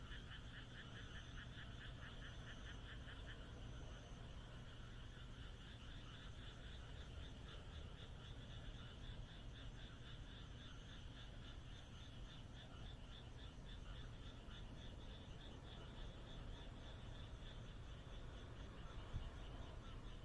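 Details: Frogs croaking on a moonlit night in the Japanese countryside: a dense, steady chorus of rapid pulsed trills overlapping throughout, over a constant low rumble, with a faint high thin note recurring about every second.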